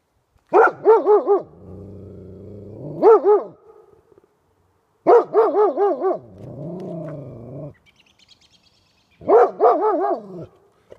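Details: Two Golden Retrievers barking at a porcupine: bursts of three or four quick, ringing barks, each burst followed by a lower drawn-out whining growl, repeating roughly every four seconds.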